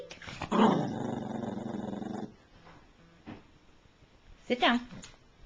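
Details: Matilda, a pet female Chihuahua, excited while doing tricks indoors and told to speak: a sustained rough, growly vocalization lasting about two seconds, followed by quiet room noise and a brief burst of a woman's voice.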